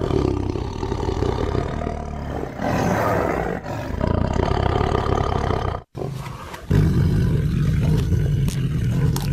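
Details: Deep, grinding tiger roars dominated by very low rumble, one long bout followed by a sharp cut of silence and then a second rough, growling roar.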